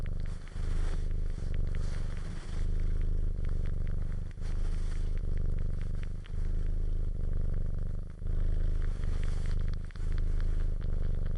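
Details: Cat purring up close: continuous deep vibrating rumble that swells and pauses with each breath, about every two seconds, overlaid with light crackling and rustling.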